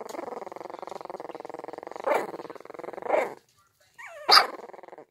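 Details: Several puppies trying out their growls indoors: a sustained buzzy rumbling growl punctuated by two sharp yaps, a brief pause, then a rising squeaky whine and a final yip.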